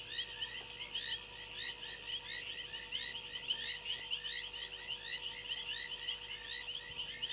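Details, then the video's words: Frogs calling on a fallen tree limb at Gowrie dam waterhole, Djuma Game Reserve, Sabi Sand Wildtuin, South Africa, 02:07 at night, 28 January 2022, from a live waterhole camera. Dense chorus of short high chirps over buzzy pulsed trills repeating roughly every second. "Frogs on fallen tree limb"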